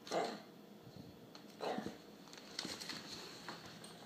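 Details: Young Alaskan Klee Kai, Charlie, inside a small room voicing displeasure at a McDonald's cup; two short muffled yelping barks about a second and a half apart, followed by faint shuffling and tapping.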